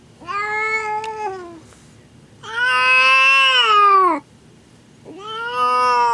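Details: Mother cat giving birth to her first litter indoors, in a room she refused to leave; three prolonged wailing cries, the middle one loudest and longest, each ending with a slight downward pitch slide.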